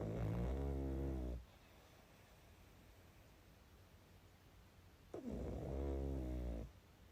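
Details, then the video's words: Pug asleep and snoring: two loud, deep, rattling snores, each lasting over a second with a low rumbling buzz, separated by about four seconds of quiet breathing. "Мопс и сон😴Храп"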